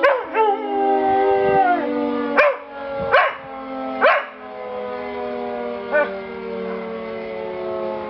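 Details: Tia, a pet dog, howling: a long sustained wavering tone with rich harmonics, broken by short rising yelps near the start, middle and later, then a steady drawn-out howl to the end.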